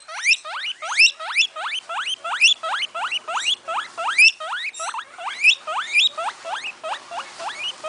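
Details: Cavia porcellus, the guinea pig, calling in a steady run of high rising whistle-squeals, each sweeping sharply upward, about two to three per second, fairly even in loudness throughout.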